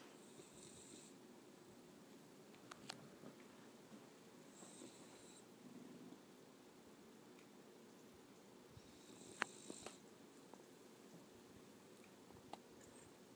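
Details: Bogart, a 14-week-old puppy, snores loudly while asleep indoors: soft breathy bursts return about every four to five seconds over a low, steady room hum, with a few faint clicks between breaths.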